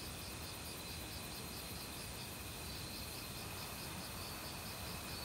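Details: Crickets singing among many insects in an autumn forest, an unbroken high ringing plus regularly beating pulses, backed by a loud, even wash of valley stream water.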